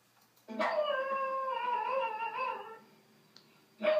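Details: Pet dog howling in reaction to a dog playing piano and howling on screen: one drawn-out, wavering howl lasting about two seconds, indoors, then quiet before another sound begins.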